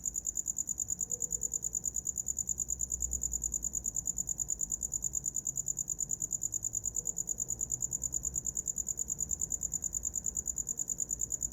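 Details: Steady cricket chirps offered as a sound for falling asleep: a bright, high, even pulse train repeating roughly three times per second without pause.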